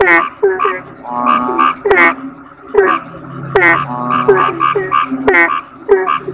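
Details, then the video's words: Kodok bangkong toad croaking repeatedly: clusters of rough, harmonic, nasal croaks, roughly every half second to a second, over a continuous low droning background. "Suara Kodok Bangkong"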